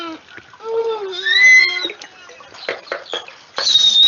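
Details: Original recording of a beluga whale played during a talk: a series of clear whistled tones, some rising and gliding, some held steady, mixed with short clicks and splashy bursts; the last second brings a loud high whistle.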